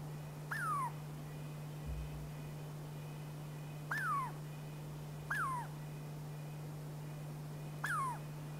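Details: Pacific Northwest Douglas squirrel, also known as chickaree or pine squirrel: four brief whistles, each sliding sharply down in pitch, spaced two to four seconds apart against a constant low electrical hum.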